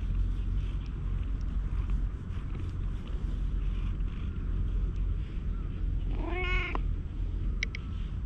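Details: Stray cat that came to sit on a lap on a park bench in Japan gives a single short meow with stacked harmonics, rising then falling, over steady low wind rumble and outdoor background noise.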